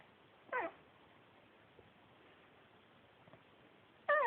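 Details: Male Pekingese dog, adopted from a shelter, talking indoors: two short, bending whiny yelps, one early and one at the end, separated by near silence with faint background hiss.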